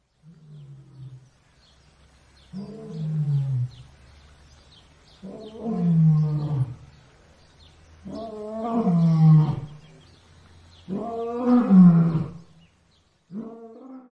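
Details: A tired lion pants with deep, groaning breaths, each sliding downward, repeated every few seconds.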